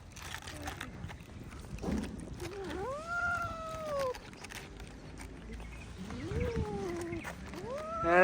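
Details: Stray cats being fed outdoors, meowing: drawn-out arched meows rising then falling, one near three seconds and another near six seconds, with a short rising meow at the end; a person talks softly between calls.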